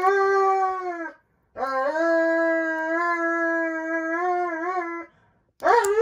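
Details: Indoors, Roman the Dobermann protests nail trimming with exaggerated fuss: two long, level, piercing howls separated by short breaths, with the start of a third wail at the end.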